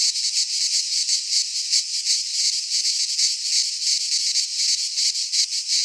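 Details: Midsummer cicada chorus in a Greek pine forest, a loud shrill rasping drone throbbing in quick regular surges of intensity, roughly three per second, with nothing else audible.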